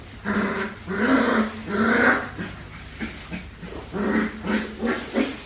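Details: Australian Shepherd puppies, four weeks and five days old, in a litter watched by a baby cam. Their cries are harmonic, moaning and slightly growly, with three longer drawn-out ones first and then shorter broken whimpers, about eight in five seconds.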